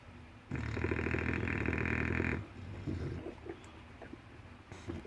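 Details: Snore from an English Bulldog deep in sleep: a single strong, rattling, vibrating inhalation of nearly two seconds, then a few faint snuffles and small grunting breaths.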